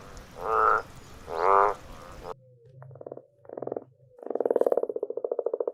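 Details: Frogs calling in a wild habitat: two low rounded croaks, then a quieter stretch of short grunting calls ending in a rapid rattling trill of evenly spaced pulses.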